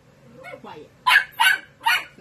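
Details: Young female Dachshund puppy, thirteen weeks old, keeps barking during play with a kitten as the owner tells her to be quiet; a few softer yips lead into three harsh, loud barks spaced roughly every half second.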